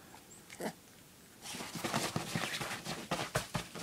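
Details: Dog indoors barking for a treat: a single short bark, then a rapid run of sharp repeated barks about every quarter second in a small room.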